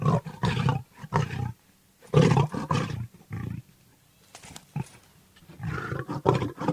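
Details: A Bengal tiger gives deep, rasping roars and growls in several heavy bursts with short pauses between.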